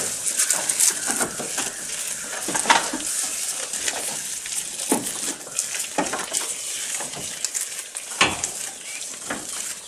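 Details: Close recording of a goat while it eats: dry crackling and rustling fill the background, with sharper crunching snaps at irregular intervals, several seconds apart.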